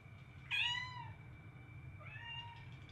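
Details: A domestic cat lets out one loud falling meow, then a softer, longer meow about a second and a half later, set against a low steady hum and a thin high tone.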